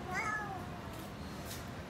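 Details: A cat coming out from under a railing sheet gives one short, slightly falling meow, followed by steady background hiss.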